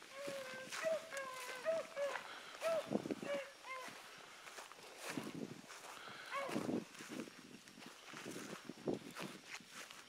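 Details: Young dogs Sassy and Magnum, trained together with Ringo and Boone, let out short wavering bays over the first few seconds. Then come footsteps, rustling and faint scattered cries.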